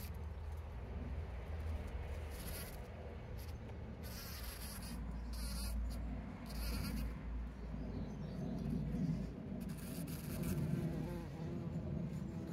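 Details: Bees gathering pollen, captured on a trail camera on 17 June 2023: a loud, close, steady buzzing drone with a low hum that rises and falls slightly in strength.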